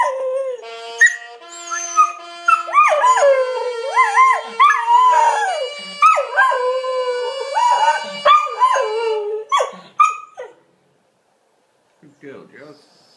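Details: Australian Kelpie howling along to the Last Post bugle call: long wavering, sliding howls that rise and fall, with bugle notes underneath, fading into near silence at the end.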